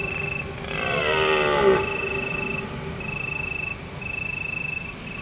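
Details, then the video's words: A deer calls on an autumn night of full moon in the Provence hills: one hoarse bellow that rises and then falls over about a second. Steady trills of singing crickets pulse on and off before and after it. "Deer Calling under the moon"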